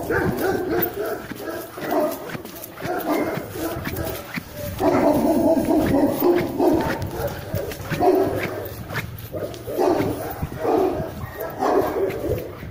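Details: German Shepherd during a guard-protection test, entering cold without warm-up; a burst of repeated barks with some whining and people's voices in the background.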